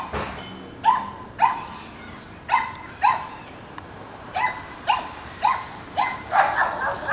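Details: Pet dogs in a backyard, chasing neighbourhood squirrels out of the yard. About ten sharp, clipped barks come roughly once per second in an uneven rhythm, with no other notable sounds.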